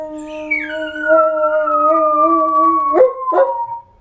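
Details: Several pet dogs howling together: long steady tonal howls held for about three seconds, gliding down at the start, with two short sharp breaks near the end before fading.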